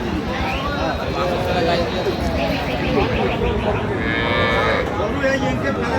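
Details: Cows and calves for sale at Aftabganj cattle market, Dinajpur, on 8 November; harmonic lowing calls rise twice amid a busy crowd, with men talking throughout and constant market chatter.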